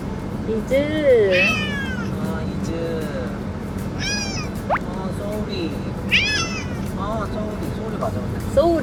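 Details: Domestic cat meowing in a car on the way to a new house; repeated bent, wavering meows of varied length, some high and sweeping, scattered through the stretch over constant low road rumble, soft music and human voices.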